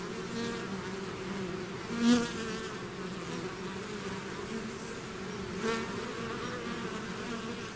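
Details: A natural bee swarm out of its hive gives an even, droning buzz. Two louder fly-by buzzes rise and fade, one early and one later.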